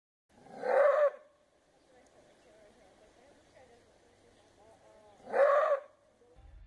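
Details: Reference recording of a maned wolf: two loud, harsh, hoarse barks about four and a half seconds apart, with faint low background noise between them.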